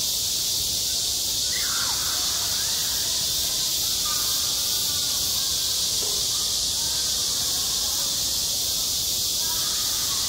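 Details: Midsummer cicada chorus over a school playground, a continuous shrill buzzing wall of sound that never pauses, with a few faint sliding calls or voices in the background.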